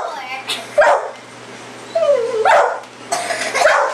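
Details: Sasha, a pit bull, chasing a red light around the yard at night: three separate whiny yelps with sliding pitch, spaced about a second apart, with quiet background between them.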